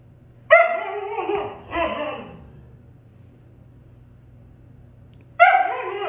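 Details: Pet Husky Appa squabbling with Arlo, his German Shepherd housemate and brother. Two short whining, yodel-like vocal bursts come close together, then a quiet pause, then a third abrupt moaning burst begins.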